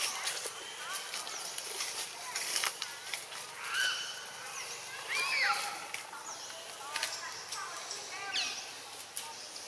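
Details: Baby macaque Anissa crying in a tantrum, begging for milk after Anna puts her on the ground; repeated high, arching wails rising and falling, some drawn out, over a hissy outdoor background with scattered clicks and distant noise.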